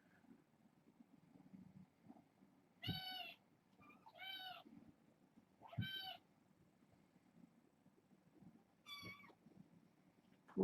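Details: Kittens from a litter of six born August 29th, at bedtime, meowing: four high harmonic-rich mews, three close together around the middle then one more near the end, over a low room rumble.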